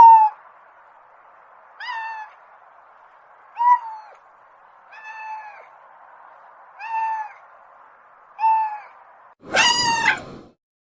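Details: Domestic cat making soft, short, even meows roughly every one and a half seconds over a steady hum, then one loud, long, wavering meow at the end.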